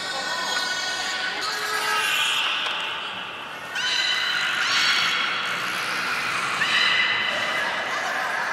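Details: Belugas in an aquarium in Nagoya, Japan, filmed 16 March 2019 at fish feeding and the following play session. Layered, bright whistles rise and hold, partly blurred by broad noisy sweeps, with fresh sharp onsets near four and seven seconds.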